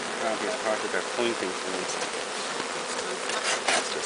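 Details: A swarm of bees walking into its new hive after capture from a tall tree, giving a continuous low, even hum with small wavering tones and light rustling through the buzz.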